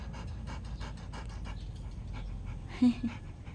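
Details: Winded Rottweiler after a fetch session, throwing and catching the ball: steady run of soft, breathy pants close together, with a brief burst of human voice near the end.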